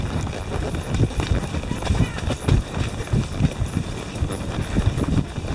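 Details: Hooves of Tennessee Walking Horses carrying four riders along a twisting trail in Brenham, Texas, with a storm overhead: muffled, uneven clip-clop thuds mixed with riders' voices talking nearby.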